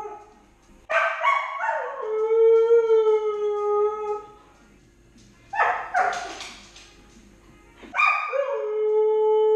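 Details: Left alone in the house, the 10-month-old Siberian Husky Lady howls in three bouts roughly three seconds apart, each opening with a sharp rising start and settling into a steady, drawn-out tone.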